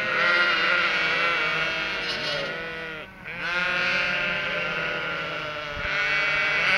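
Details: Cotswold sheep flock with three-week-old lambs, expecting the farmer with food, bleat continuously in overlapping chorus; wavering, harmonic baas of varied pitch rise and fall without pause, with a brief dip near the middle.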